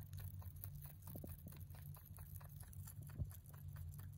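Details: A male mini rabbit born 3 November 2020 chews hay, with quick, soft crunching bites over a low steady hum.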